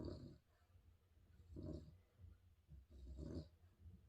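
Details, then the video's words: Spaniel dog snoring: deep, rumbling, rattly snores repeating roughly every one and a half seconds, low and breathy with a faint hiss on each breath. "Snoring spaniel dog"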